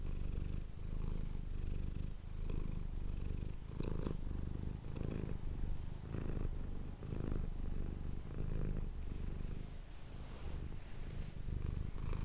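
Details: Close-miked purring from Manis the domestic cat, an even low buzzing drone broken into breath-length pulses, with faint clicks and rustles over the top.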